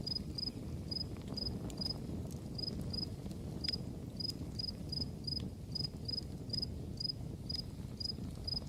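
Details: Background crickets beside a campfire keep up a regular string of high, clipped chirps, about two or three each second, over the steady low rush of burning wood and occasional snapping crackles.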